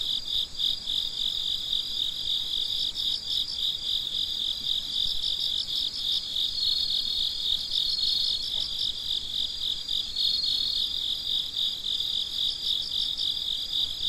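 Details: Night-time cricket chorus recorded at midnight: several insects chirp together in a shrill, unbroken pulsing stream, rapid beats near four per second, some callers slightly louder mid-way, with no other sounds standing out.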